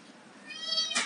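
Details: A kitten up for adoption, one of a litter of Persian and domestic medium hair kittens, gives a single high rising meow lasting under a second in a small indoor room.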